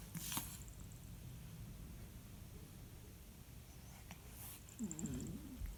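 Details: Win, a newly arrived cat with sneezing and a runny nose, recorded in spring 2021: two sharp, hissing sneeze bursts about four seconds apart in a quiet indoor room, followed by a faint brief murmur.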